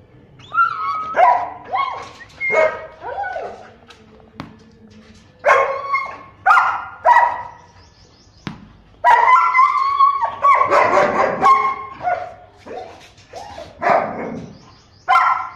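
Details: German Shepherd Dog from Rajasthan kennel barking in loud bursts, some single and some in quick pairs, with tonal yips between volleys and short quiet gaps.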